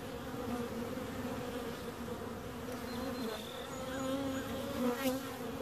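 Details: Bees buzzing in a steady, low hum with layered droning tones, swelling slightly toward the end; a few faint high thin tones appear briefly near the middle and end.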